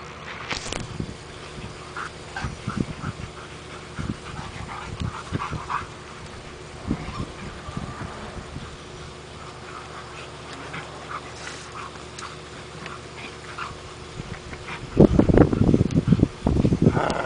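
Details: Rhodesian Ridgebacks Mika and Khoi play-wrestling in their yard give scattered yips and whines among heavy scuffling and thumps, the rough-and-tumble growing loud and dense near the end.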